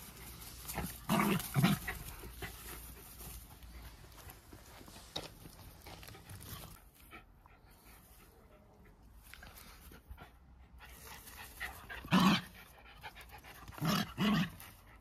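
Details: Two Jack Russell Terriers, close friends, play-wrestling for fun: low harsh growls break out in short loud bursts near the start and again toward the end, with quieter rustling and breathing in between.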